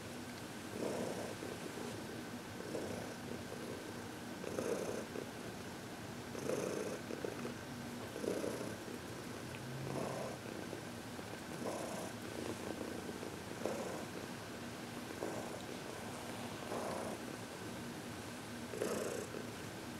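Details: During massage and reiki on February 22, 2021, Heidi, a contented 14-year-old cat adopted from the Humane Society of New York City, keeps up a steady purr, each breathy burst recurring about every two seconds across the stretch.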